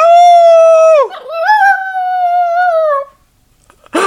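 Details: Pet dog howling while its owner teaches it: one level, sustained howl, a brief wavering dip, then a second long howl that slowly sags at the end, followed by a short noisy knock.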